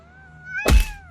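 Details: Cat defending its personal boundaries: a steady, sustained moaning yowl held at an even pitch, cut across by a loud thud midway, the cry continuing faintly afterward.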